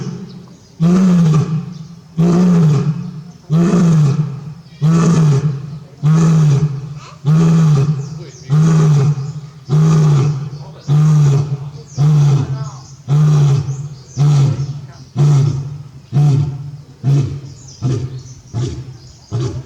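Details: Barry, a male lion at Tobe Zoo, Japan, on 5 October 2021, roars repeatedly as if calling for his absent companion Daisy: a long series of about fifteen deep, resonant grunts, each roughly a second or so apart, strong and steady throughout.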